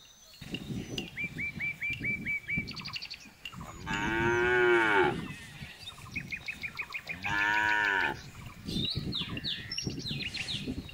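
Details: A jumbo bull lets out two arching moos of about a second each, some three seconds apart, over a busy chorus of chirping birds and rhythmic background clatter.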